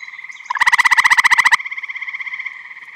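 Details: Eastern gray tree frog in a Michigan vernal pond during spring or summer, giving a loud rattling trill of about fifteen quick pulses over one second, followed by quieter trilling from neighbouring frogs in a continuous chorus.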